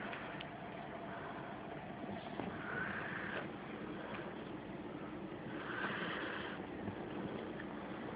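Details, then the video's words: Reilly, a female Rottweiler/Pit Bull mix who has snored all her life, asleep with her mouth slightly ajar, recorded on a phone; soft raspy snores swell roughly every three seconds over a steady low indoor hum. "Reilly Snoring"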